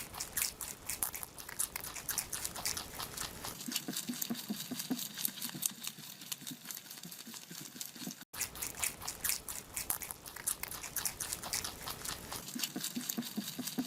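A rabbit chewing, with rapid crisp crunching and soft clicking bites.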